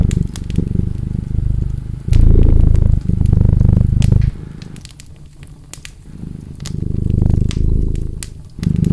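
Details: Deep rumbling cat purr rising in loud stretches and fading to a quieter hum in the middle, with scattered crackles and pops from a burning fire throughout.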